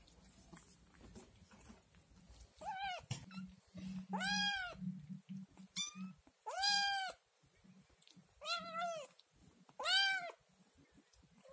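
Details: Hungry Scottish Fold kitten, from the three-kitten litter of the cat Chloe, yelling through the house for yogurt. Long arching meows recur every second or two over a low hum and faint rustles.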